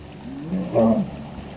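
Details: Wild hippopotamus in Chobe National Park, Botswana, July 2005: a single deep, hoarse grunting swell that rises and fades within about a second, over a steady low background hiss.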